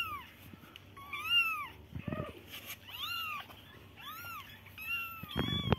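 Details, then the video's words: Kittens mew softly in arched, high cries, with low rustling and a thump near the end among the calls. "cute baby kittens sound"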